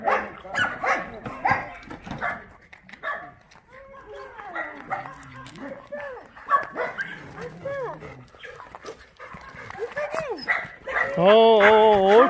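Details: Shelter dogs at an abandoned-dog shelter in Yangsan, Korea, during play. Short whines and yelps come through steady human talk, and a loud, drawn-out whining cry ends the recording.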